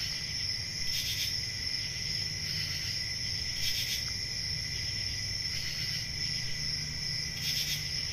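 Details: A steady shrill cricket chorus on a summer night in a forest, with occasional louder pulsed chirp bursts standing out near one, four and seven and a half seconds, over a low background hum.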